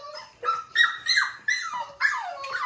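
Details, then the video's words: Unhappy five-week-old foster puppy protests indoors after being brought in for dinner: a run of five or six high, bent yowls, each swooping up then sliding down, in quick succession. "5 week old Puppy howl"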